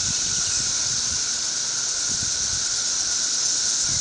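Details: Periodical cicadas on a tree during their thirteen-year emergence produce a relentless, high rushing drone layered over a fixed lower whine, with scattered soft low thumps.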